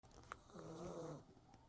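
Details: Maltese dog named Kongi snoring while asleep with its eyes open, indoors; one drawn-out, low, tonal snore swells and fades over about half a second in a quiet room.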